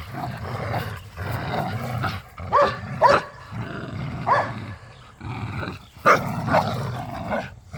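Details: Dogs, pit bulls and a Malinois, growl and snarl steadily while playing tug of war in a yard, with a low rumble underneath and several sharp barks bursting through.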